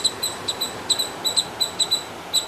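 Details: On the Arabian Sea coast of South India in June 2020, squirrels call loudly over everything, giving sharp, high chipping notes in quick, uneven bursts.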